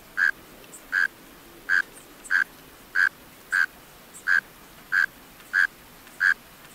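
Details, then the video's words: Mole cricket song from males calling in closed burrows. Repeated short chirps come at a regular pace of roughly three every two seconds, low and burry for an insect, with quiet background hiss between them. "Mole Cricket Sounds-Mole Cricket Sounds Effect-Mole Cricket Sounds Recording-Mole Cricket Call Song"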